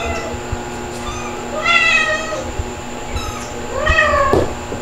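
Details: Household cats, calico Mel, black mother Pepper and kittens Stuart and Lunar, recorded on a June 2022 evening during a kitten-stealing episode; two clear rising-falling meows about two seconds apart, backed by a constant electrical whine.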